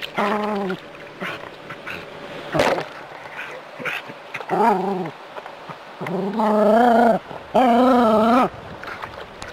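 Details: City-dwelling Jack Russell terrier facing a rat snake gives scattered short whines, then two loud, sustained, quavering yowls near the end, with faint background noise between calls.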